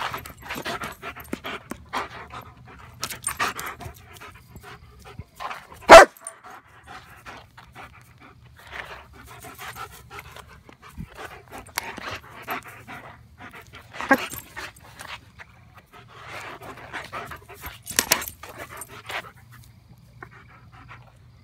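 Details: German Shepherd attacking a flashlight, panting in rapid breathy bursts, with scattered sharp clicks and snaps and one loud bang near the sixth second.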